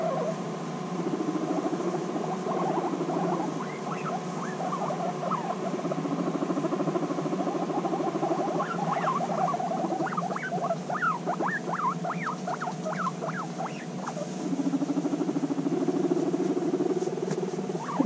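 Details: Female guinea pigs reunited after six months apart, bonding intensely; low rumbling purrs run beneath bursts of sharp rising and falling squeaks that cluster thickly in the middle, with soft rustling throughout.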